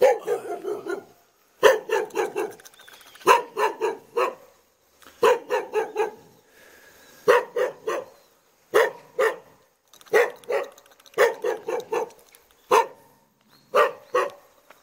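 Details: Jindo dog in a hanok front yard in Jeonju Hanok Village, North Jeolla Province, Korea, barking persistently: bursts of two to four clipped barks repeated about every one to two seconds, with brief silences between bursts.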